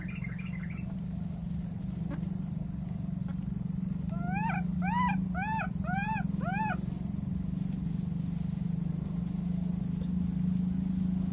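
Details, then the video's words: A wild baby monkey crossing water, calling for its lost friend: about six short, arched, whistly calls, each rising then falling, given in quick succession at mid-clip over a steady low rumble, with quiet stretches on either side. "this cute baby monkey keeps looking for and calling for his friend"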